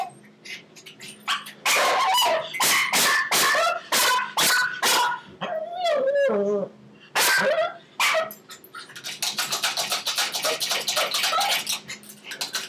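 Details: Pomeranian Chihuahua mix dog at a latched walk-through pet gate. A rapid run of high yapping barks is followed by a drawn-out, falling whine near the middle, then a quick, dense burst of short yips.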